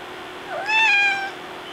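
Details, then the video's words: Domestic cat by the door asking to be let outside utters one rising-then-falling meow, starting low and swelling into a bright, harmonic wail about half a second long. "Stewie Wants To Go Outside"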